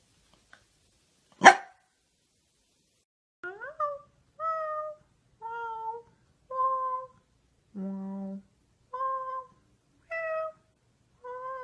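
After a sharp knock, a corgi makes a series of brief, clear whining notes, each one sliding slightly. One note drops to a low groan before the higher, talkative whines resume.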